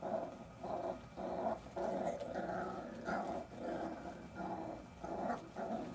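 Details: Playing Jack Russell Terrier puppies growl indoors, a steady rumbling growl that swells and dips in pulses roughly every half second to second, continuing throughout with little else heard.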